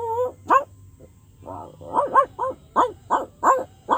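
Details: Dog producing funny sounds: a brief whine, then a string of sharp, rising-falling barks about every third of a second, with a faint low hum underneath.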